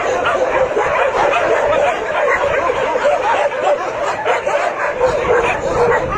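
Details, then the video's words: Numerous dogs in a shelter greet newcomers with nonstop barking, many voices overlapping into a constant clamour of short barks and occasional higher yelps. "روحنا ملجئ كلاب ... شوف الكلاب استقبلتنا ازاي"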